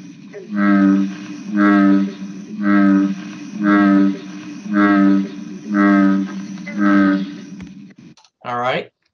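A series of deep, booming, moo-like notes from an American bullfrog, each about half a second long and spaced about a second apart. As the largest frog, it has the lowest-pitched call; a brief higher sound follows at the end.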